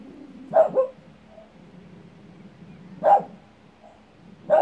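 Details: A dog barking at its own echo gives a sharp double bark, then single loud barks a couple of seconds apart.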